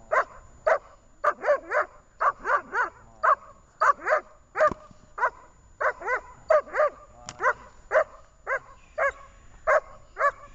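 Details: Barking from Jenny, a dog in training at Horlivka on 18 August 2019: rapid, steady volleys of loud barks, roughly two per second for ten seconds, with no other clear sounds.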